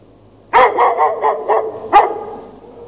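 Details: Dog chained outside in the snow at night with no shelter, in early March, barking for hours: a loud bark followed by a run of four quick rougher barks, then one more sharp bark near two seconds, all over quiet background.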